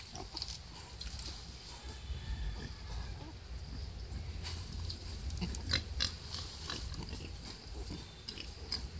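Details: Low, muffled grunts from a wild boar during the birth of five piglets, rising and falling irregularly amid crackling rustles and short broadband clicks.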